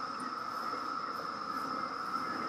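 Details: Periodical cicadas emerging after 17 years underground, Maryland, summer 2021: a steady, unbroken droning chorus holding one even pitch with a fainter high whine above, no pulses or breaks.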